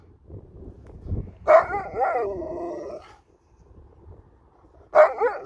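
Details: Sherpa, an Alaskan Malamute, during a ball game: a wavering, moaning 'talking' call of about a second and a half, rising and falling, then a short silence and a second brief yodel-like burst.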